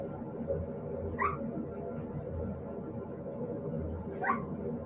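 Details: Siberian Husky puppies: two short, rising, squeaky whines, one near the start and another near the end, over a steady low background hum.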